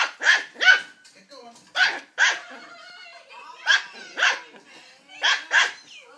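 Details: Young Border Terrier puppy at play with a drink carton: high, bright barks in closely spaced pairs with short pauses, plus soft low grumbles in the gaps.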